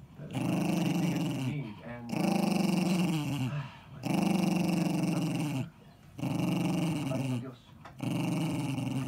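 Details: A ten-year-old pet Jack Russell Terrier, Eddie, defends his ball with sustained low growling. Five rumbling growls, each roughly one and a half seconds long, are spaced by brief breath pauses, evenly repeated in a quiet room.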